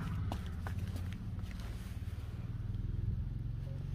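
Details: Low engine rumble from a vehicle fills the recording, with a few footsteps and faint outdoor noise, and no animal voice.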